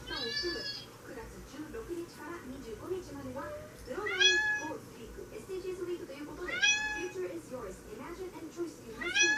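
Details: Tabby Maine Coon cat meowing indoors: four loud, drawn-out meows, each starting high and bending downward, spaced several seconds apart, with softer low murmuring sounds between them.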